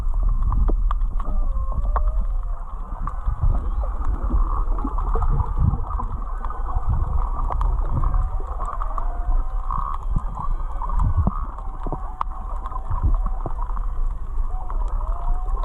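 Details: Underwater humpback-area whale song off Kihei, Maui, near Charley Young Beach, recorded while snorkeling over a reef: drawn-out tonal moans and whoops bending up and down over heavy water noise; whale.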